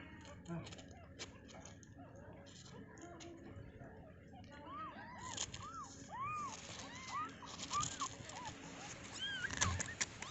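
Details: Just-born kittens in their enclosure: after a stretch of low rustling and handling noise, a run of thin, rising-and-falling mews begins midway and repeats irregularly to the end.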